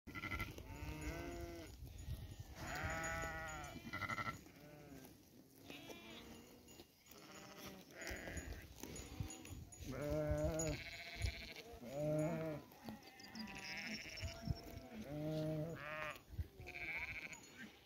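Several sheep bleat in wavering, nasal calls, one voice after another, with some low murmuring behind.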